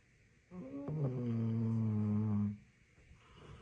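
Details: Labrador Retriever asleep, letting out a single long snore that rises from a rough onset into a steady, low, humming drone of about two seconds, then fades into soft breathing in a quiet room.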